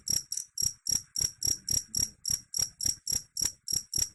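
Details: Cricket call played to scare off rats, made of loud, bright chirps, each a short shrill burst, coming about three and a half per second with even spacing over a quiet background.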